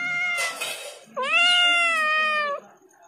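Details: Loud meowing from a domestic cat: a sustained tonal cry fading out, then a strong, drawn-out meow of about one and a half seconds with a brief upward bend at the start and level pitch after.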